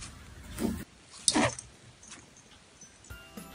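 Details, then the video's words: Domestic rabbit growling, a more intense form of grunting that shows it is angry or stressed and wants a person near its food or territory to back off: two short, rough, noisy bursts over soft background music. "Growling is a clear sign that your rabbit is angry or stressed."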